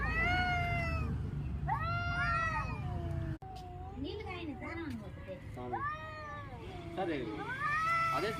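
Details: Cats crying with repeated arched, harmonic meows, some long and wavering, others short and overlapping, as if several kittens call together; a man speaks briefly and a low hum runs underneath, with a brief dropout midway.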